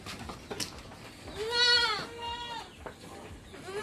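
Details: Goat on a backyard farm in the Philippines, bleating in the morning before being let out: a drawn-out wavering bleat with a falling tail, then a shorter second bleat, over low background noise.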